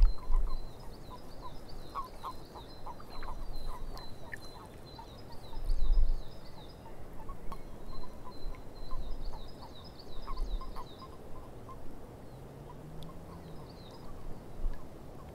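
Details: Frogs calling in a swamp: a steady chorus of short, rapid croaks repeating through the recording, with a few louder bursts, while a high, looping, chattering trill comes and goes above them and low rumbling background noise persists.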